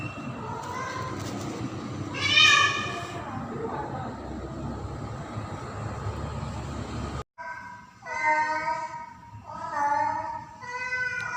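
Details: Female domestic cat in heat during mating season, calling for a male cat. One loud yowl rises out of heavy rumbling background noise. After a brief cut, a quieter stretch follows with three more drawn, wavering meows.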